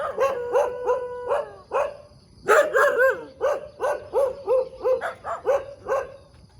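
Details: A morning dog in the middle of a road lets out fast, tonal, yelping barks in steady runs. One louder, harsher burst comes partway through. A faint high steady tone sits in the background.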